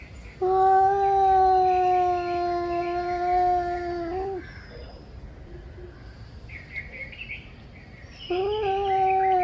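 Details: Two angry male cats warming up for a fight: a long, level yowl of almost four seconds, a pause filled with faint bird chirps, then another yowl starting near the end.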